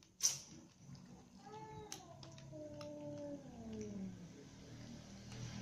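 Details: Domestic cat family, mother cat, ginger cat and little kittens, eating dinner together; after a sharp click, a drawn meow begins high, then glides slowly downward into a low, fading tail, with soft background rustling.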